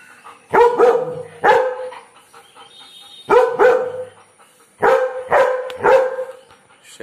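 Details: Aggressive barking from a German Shepherd named Joy directed at birds; deep, forceful barks in pairs and triplets, each group a second or two apart, fairly clean background.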